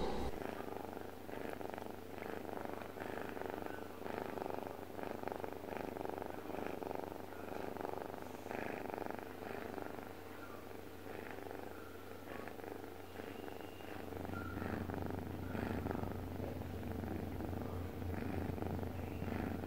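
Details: Deokbae, a domestic cat, purring while asleep: a low, rough, rapidly pulsing rumble that swells and fades with each breath, with a steady low electrical hum underneath throughout.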